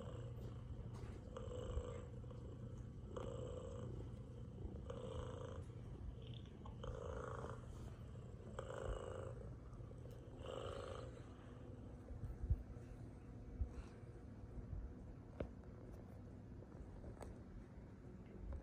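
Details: Boba, a peaceful pet cat, purring indoors: a steady low rumble runs underneath throughout, with soft rhythmic breathing pulses repeating about every one and a half seconds during the first half.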